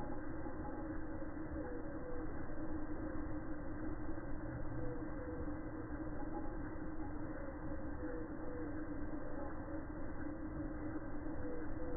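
A steady low rumble of a passing train or vehicle fills the recording, with faint tonal hums and no animal voice.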